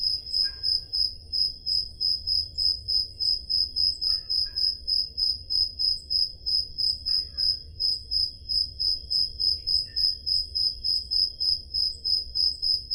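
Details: Crickets in Peloponnese, Greece, chirp through a summer night in rapid, regular high pulses, about three per second. A few faint, brief lower chirps appear now and then. Recorded with a portable digital recorder.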